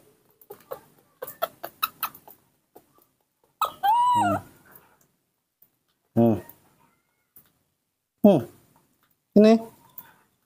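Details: Baby monkey in human care, refusing bananas and calling for milk. Four loud, harmonic, arched cries fall in pitch, spaced about two seconds apart, after soft tapping and a woman speaking Indonesian.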